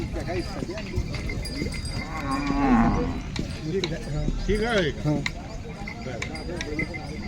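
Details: Farmer's bullock pair of equal height, four teeth each and used to farm work, shown for sale at the Kamatha bullock market, Hingoli, Maharashtra, India; two short wavering moos amid busy market chatter and a bell.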